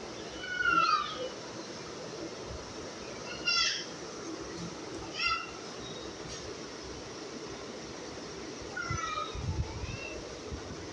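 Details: Domestic cat indoors giving soft, thin mews, each a short falling whistle-like cry, spaced a few seconds apart against a low room hum.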